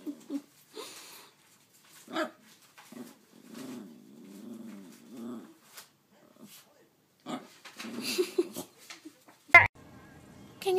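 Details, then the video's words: Pet dog making quiet, warbling moan-like vocal sounds in short wavering phrases, with soft yips and a sharp bright click near the end; a person's encouraging voice can be heard in places. "Funny Talking Dogs"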